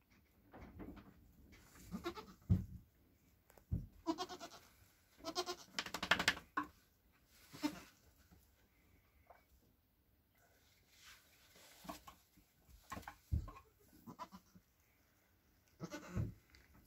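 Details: Two Nigerian Dwarf goat kids, a buckling and a doeling born around 11:30 pm on April 29, 2024, bleat in short, wavering cries when only hours old, with their mother's deeper calls between them.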